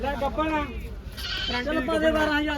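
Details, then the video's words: At the Sunday goat market in Sahauli, a goat's quavering bleat rises over steady talk of traders haggling nearby. "ਸਹੌਲੀ ਬੱਕਰੀ ਮੰਡੀ ਹਰ ਐਤਵਾਰ"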